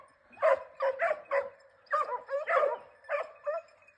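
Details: Segugio Italiano hunting hare in a Cyprus forest, giving quick clusters of high yelping bays, two or three at a time with brief gaps.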